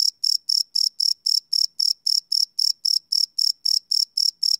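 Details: Crickets chirping at night, recorded live on a Sony PCM D100 field recorder: a high, steady pulsed chirp repeating about four times per second in an even train, with no other sounds.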